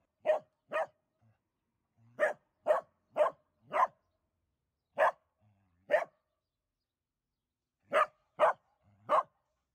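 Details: Dachshund puppy barking indoors: eleven sharp, loud barks in clusters of two to four, separated by short pauses, each bark a brief bright burst, with a woman's voice saying a few German words right afterward.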